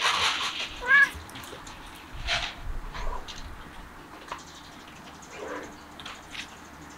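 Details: Cat outdoors eating grass, giving a short harmonic meow near one second, followed by scattered rustling and chewing sounds with faint background noise.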